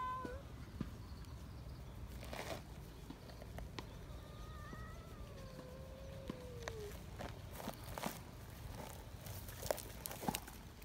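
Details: Young free-roaming community cats in Japan, excited while being held, giving several drawn-out falling meows with clear harmonics, one long slurred cry near the middle, over rustling, handling noise and a low steady background hum.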